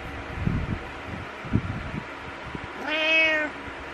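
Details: Morning wake-up meow from Butters the cat, who headbutts its owner: soft rustling and thumps, then one clear, drawn-out harmonic meow lasting over half a second near the end.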